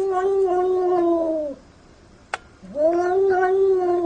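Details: Very jealous house cat producing two long, level, wailing yowls separated by a short pause with a single sharp click, each note dropping off at its close.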